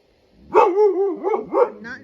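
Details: Husky/Malamute dog barking and howling at pool toys outdoors, as it does every time it goes outside; a rising, yodelling howl followed by quick barks, with a man speaking around it.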